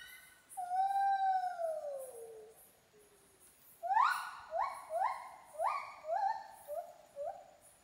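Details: Monkey song from Kaeng Krachan National Park opening with one long, slowly falling wail, then a brief pause and a quick run of short, rising whoops that grow softer toward the end.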